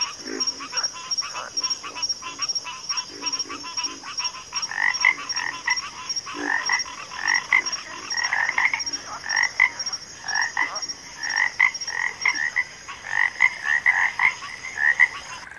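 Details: Backwater frog chorus: many overlapping croaks, some rising, crowding together, with a louder burst of calls in the second half. A thin steady high whine runs through the whole recording.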